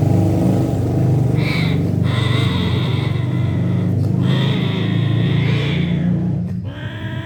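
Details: Cats making noise while mating: drawn-out, high, wailing yowls of about a second each, broken by short pauses, over a steady low rumble like a running engine.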